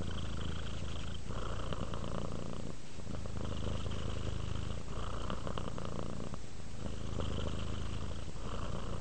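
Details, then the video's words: A domestic cat purring while relaxing: a steady low rumbling purr with alternating inhale and exhale phases about every one to one and a half seconds, breathy upper tones rising and falling with each breath, indoors. "Cat ASMR, Sleep while Purring Cat Relaxes"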